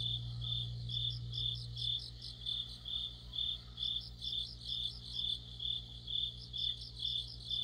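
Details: Crickets and other insects singing together in mid-autumn by a streetlamp; bright pulsed chirps about twice per second over a low steady hum that fades after two seconds.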